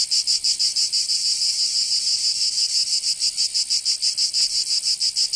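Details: Cicadas of Provence in southern France calling in summer: a piercing, electric buzz that pulses rhythmically at around five beats per second, fairly steady, with no birds or other noises.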